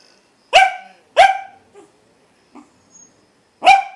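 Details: Pet dog sitting in a chair indoors giving warning barks at sounds of distress: three sharp, loud single barks with a brief pause between the first two and a longer gap before the third, faint small noises between.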